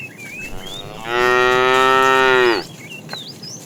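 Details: Tame cows roaming a road looking for food; one steady, level, strongly harmonic moo of about one and a half seconds, with thin bird chirps around it.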